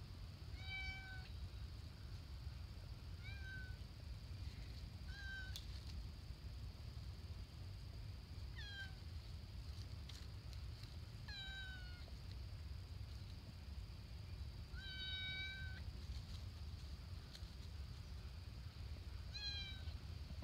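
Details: Stray cat on the lakeview trail at Stonelick State Park, Ohio, meowing repeatedly, about seven short, bright, slightly falling meows spaced every two to four seconds over a constant low rumble.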